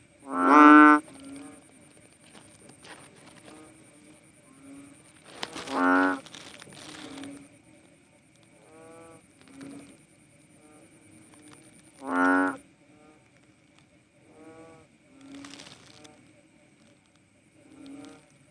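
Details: Philippine banded bullfrog, called cowsound frog: three loud lowing calls spaced about six seconds apart, with fainter distant moo-like calls between, over clattering, rustling and a steady high electrical whine.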